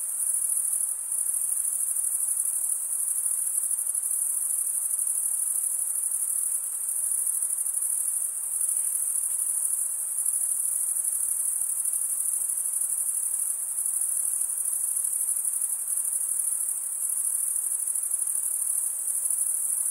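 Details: Continuous shrill stridulation from many male crickets, a steady high-pitched pulsing trill that never pauses, level and unchanging, with only soft diffuse background noise underneath.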